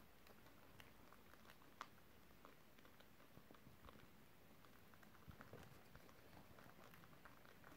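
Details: Pet guinea pigs eating crispy beetroot nibbling pieces indoors, recorded December 30, 2023: a steady stream of soft, dry crunches and clicks, dense and irregular throughout, over a quiet room hiss.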